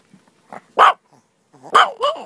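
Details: A pet dog barking while playing with a person: two short, sharp barks about a second apart, with softer yappy sounds before them and a higher, whining tail after the second bark.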